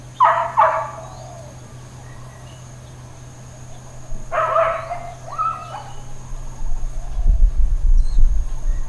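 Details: Neighbourhood dog barking in Hawaiian Paradise Park, Hawaii, on September 2, 2024. Two distant bursts of short double barks, about four seconds apart, over a steady low hum and quiet background.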